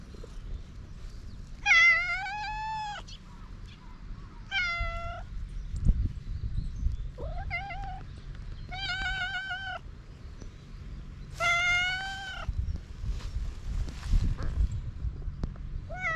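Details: Hungry cats on a Japanese cat island, outdoors, meowing before being fed: several loud harmonic meows, rising then falling, in a run of about six calls over sixteen seconds, with low rumbling background noise.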